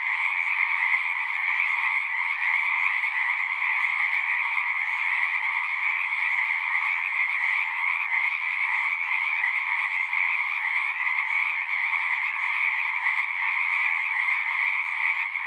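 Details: Frog chorus at a pond in a horse pasture, continuous and evenly loud, countless overlapping trills merging into one bright, pulsing hum for the whole stretch.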